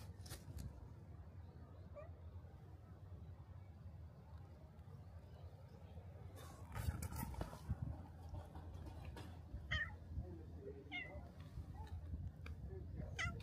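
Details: Black cat at a shrine, coming out to the torii gate to greet its visitor: a few faint, short meows late in the recording over a low steady outdoor rumble, with soft rustling and footsteps.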